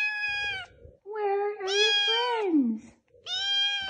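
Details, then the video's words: Foster kitten left alone indoors while its littermates are at the vet, calling loudly: three harmonic meows, a short one, a long wavering one that slides downward at the end, then another, with a woman speaking softly between. "Elvis is a Very Vocal Foster Kitten"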